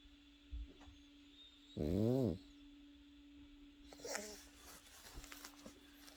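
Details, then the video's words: Pekingese puppy asleep, giving a single half-second snorting snore with a wavering, buzzy rasp, followed by quieter breathy rustles against a constant low room hum. "패키니즈 코고는 영상"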